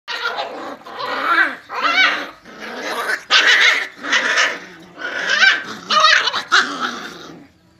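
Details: Puppies fighting indoors: a run of loud, rough growls mixed with high squealing yelps in bursts of about half a second to a second, separated by short quieter gaps, with no other sounds.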